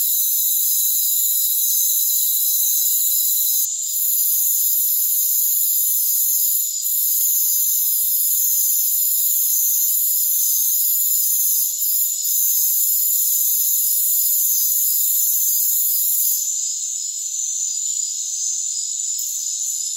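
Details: Rainforest crickets keep up a constant high, hissing trill chorus; brief dips and sudden shifts break the steady texture near the end.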